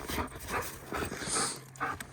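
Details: Female German Shepherd, one and a half years old, playing with a stick outdoors: short high whiny squeals and breathy huffs in quick succession, with a person's voice nearby.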